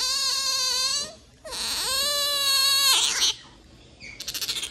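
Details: A pet otter gives an affectionate, attention-seeking cry: two drawn-out, high, strained whines, each about a second long, ending in a brief squeaky chirping burst.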